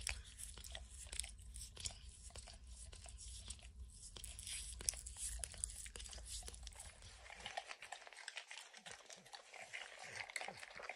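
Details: Licking a lick mat smeared with peanut butter and kibble, Max the dog makes sticky clicking smacks and crunches; a low background hum drops away after about seven seconds, leaving the wet licks clearer.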